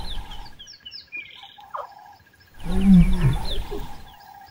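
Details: In Kruger National Park, a lioness gives deep, rumbling calls, helped by her cub, to call her other playful cubs out of the bushes, with birds chirping in the background.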